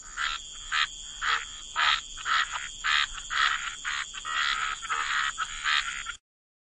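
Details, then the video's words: Wetland frogs giving rough, buzzy croaks repeated about twice a second in a fairly steady rhythm, over a continuous high-pitched drone, ending abruptly in silence. "Relax to the Sound of Croaking Frogs"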